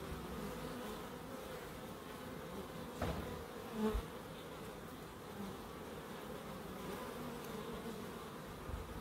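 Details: Continuous droning hum of bees in a small wildlife garden in Crookes, steady low buzzing throughout with a brief louder knock near the middle.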